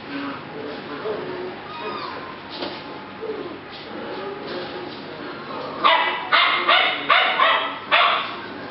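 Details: Puppies from a rescue Z litter on July 8 2016: quiet whines and murmuring voices at first, then a burst of five quick, bright, high-pitched yips packed into the final three seconds.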